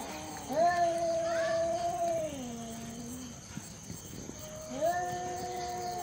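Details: Cats squaring off in a neighborhood standoff; quieter sustained low moaning wail with a falling tail, a pause, then another steady drawn-out yowl, against a faint steady background hum.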